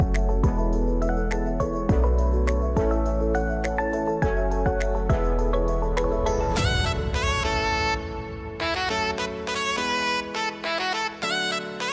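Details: Jazzy instrumental music led by a saxophone-like melody with sustained tones, shifting into a brighter busier passage halfway through.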